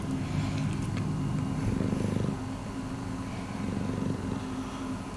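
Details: Rescue cat Miiko purring, a fast rough low rumble swelling and easing, with a faint steady hum behind it.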